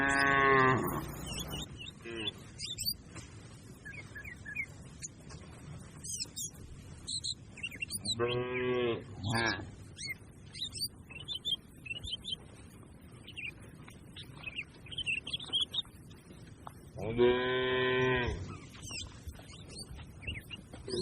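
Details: Cattle from a grazing herd moo three times across the stretch, short harmonic calls spaced several seconds apart, set among frequent bird chirps and clicks with a low background hum.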